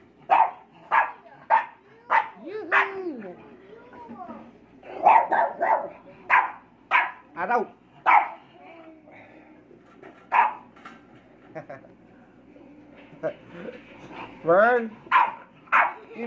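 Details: English Bulldog puppies, four months old, in a rowdy play-fight; a long run of short barks and yips with a few whiny, rising-falling squeals between them, the rhythm uneven as the pups tussle.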